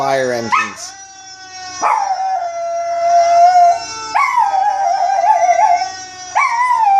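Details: Chihuahua named Baby howling in response to fire engine siren sound effects: long sustained tonal howls with rich harmonics, each starting with a sharp rising swoop and then held steady with a slight waver, in three drawn-out phrases.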